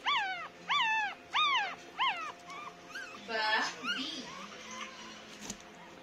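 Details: Nine-day-old Pomeranian puppies cry in high, arching squeals, repeated in a quick series.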